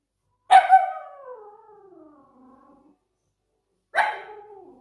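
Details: Pomsky puppy at home giving two howls: the first starts with a sharp yelp, then slides downward in a long wavering tone lasting over two seconds, and a second shorter falling howl follows after a pause.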